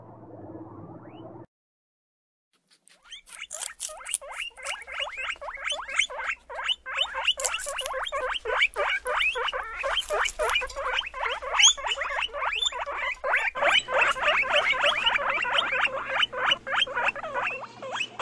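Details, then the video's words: Guinea pig producing a fast, steady stream of short clicking, chuttering pulses, about three per second, growing louder and denser, after a brief low murmur and a pause of silence at the start. "Звуки морских свинок / guinea pigs sounds"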